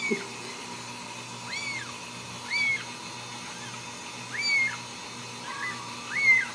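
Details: Ragdoll kitten calling for its mother, raised in a home cattery in central Kansas without cages. High, arched meows rise and fall, about five calls spaced one to two seconds apart over a low steady hum.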